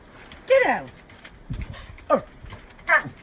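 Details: Female dog with an unusual bark she has had since puppyhood, likened to a sea lion: three hoarse, downward-sweeping honking barks spaced about a second apart, with people talking and some clattering in the background.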